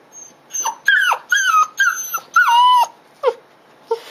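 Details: Female Dobermann puppy, 55 days old, on her second day in a new home, crying after waking on a Friday morning at 10:15, 15 July 2016: high, bending whines, each falling at the end, in quick bursts, then two short yelps.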